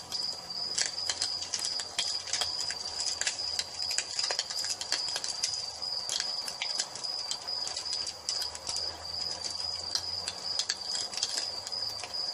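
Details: Crickets at dusk: a steady high continuous trill runs through the whole stretch, while loud irregular crackles and pops from a wood fire burning in a fireplace keep bursting over it.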